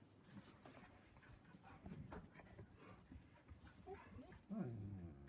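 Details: Puppy talking during play as Angel and Atticus wrestle with Cody; breathy low grumbles build into a clear, whining yelp that rises and falls near the end, with a person speaking over the dogs.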